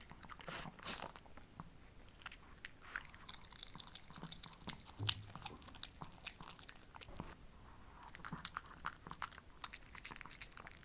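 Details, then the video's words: Shih Tzu pair, both female, Ssamong born 2015 and Jinsang 2017, munching homemade snacks in a small room: loose, irregular crunches and clicks of teeth, some louder bites near the start and middle, quiet background. "DOG Mukbang Eating Show"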